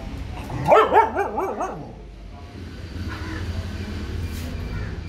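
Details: A purebred Russian dog, fully vaccinated and offered in Pakistan, gives a brief wavering, yodel-like whine lasting about a second. Low rumbling background noise and a faint hiss follow for the rest of the recording.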